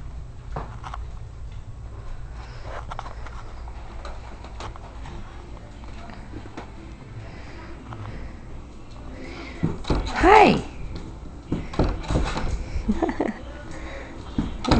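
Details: Two-week-old miniature dachshund puppies nursing with their mother Scarlett: soft wet suckling clicks and shuffling under a low hum, then one brief, high, bent squeal from a puppy, followed by more rustling and sucking.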